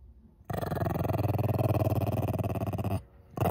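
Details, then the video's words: Angry Shih Tzu puppy growling indoors as his owner tries to kiss him: a continuous low, rumbling growl held for about two and a half seconds, then a brief pause before it starts again. "A little angry puppy"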